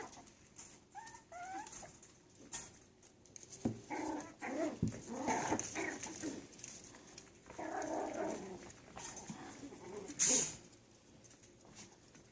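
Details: Playing Yorkshire Terrier puppies: a couple of thin rising whines early on, then bursts of squeaky growling and yapping during rough play, with sharp knocks and rustling.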